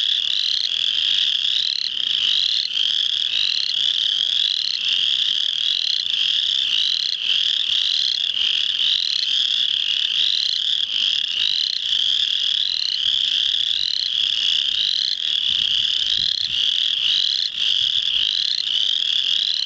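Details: Spring peeper frogs at full chorus, Muscatatuck National Wildlife Refuge, Indiana, March 7, 2009: relentless high, whistled peeps from a crowd of callers blending into a shrill continuous ring, individual rising notes audible throughout.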